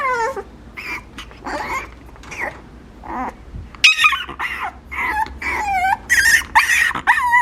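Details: Papillon puppy giving a rapid series of high, thin whimpers and yips, many sliding down or wavering in pitch, several clustered close together with short gaps, indoors with no other clear sounds.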